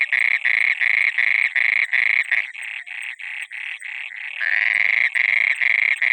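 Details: Frog calling at night from water: quick repeated buzzy croaks, fading and breaking into shorter softer notes midway, then a longer, stronger croak before the steady pulsing returns.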